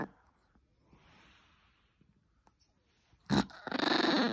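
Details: Ted, a pet Chihuahua, after a quiet stretch with faint rustles: one sudden loud burst, then a rough, rapidly pulsing growl that holds steady for the final second.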